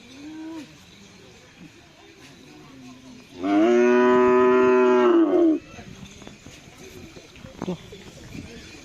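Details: Bull in karapan sapi race training at the Bluto field in Sumenep, giving a single loud, rich moo lasting about two seconds, steady then dropping at the end, between quieter stretches of crowd murmur and outdoor noise.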